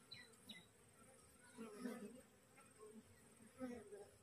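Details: Recently divided wild honey bee colony gathering on a cassava plant around its caged queen. A soft, steady hum swells and fades in brief waves, with occasional louder passes of single bees.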